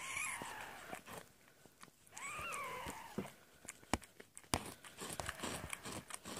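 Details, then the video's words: Domestic cat Amber indoors giving birth to a litter of four kittens on 22 February 2017, labour from around 7PM; soft high mews, one rising-and-falling mew midway, amid wet clicking, licking and rustling noises. "My Cat Amber Gives Birth To 4 Kittens"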